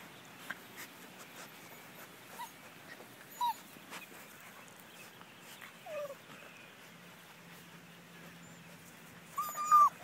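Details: German Shepherd puppies, five weeks old, at a Florida kennel, giving sparse thin whimpers and short squeaky whines spaced a few seconds apart, with a louder cluster of whines at the close over a quiet background.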